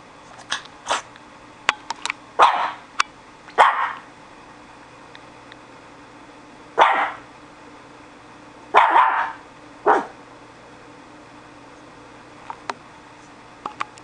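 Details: Pet dog that has newly taken to guard-dog barking: loud single and paired barks at irregular gaps over fourteen seconds, mixed with sharp clicks and knocks and a low steady hum.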